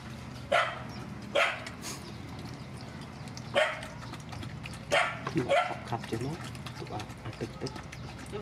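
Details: Rescue dogs, mother dogs with their puppies, at feeding time: short sharp barks come in bursts of one or two, spaced a second or more apart, over steady background hum and occasional human voices.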